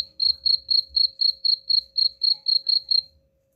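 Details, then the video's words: Cricket used as a rat repellent, chirping twelve quick high pulses at roughly four per second before falling silent near the end. "suara jangkrik pengusir tikus ampuh"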